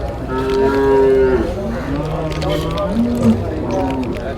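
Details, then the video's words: Cattle at Manjeri market, where buffalo calves and cows are on sale. A loud, drawn-out harmonic moo is followed by three shorter, lower lowing calls, with a steady market hubbub behind. "ഇണ്ണിയുടെ പോത്ത് കുട്ടികളും പശുക്കളും...മഞ്ചേരി ചന്തയിൽ"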